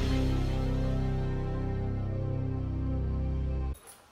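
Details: Soft, sustained ambient music with deep low tones plays and then cuts off abruptly near the end, with no animal sounds present.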